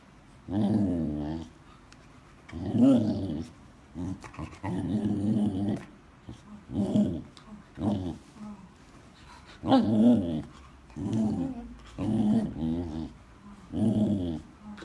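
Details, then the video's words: A Samoyed chatting away in a run of about nine grumbly, moaning vocal bursts. Each lasts around a second and rises and dips like speech, with brief gaps between them and a small room's echo. "Samoyed chatting"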